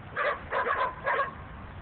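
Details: Chained domestic dogs, one resembling a puppy, barking behind a house on December 28, 2009; several yappy barks come in three quick bursts over under two seconds, with a faint low background rumble.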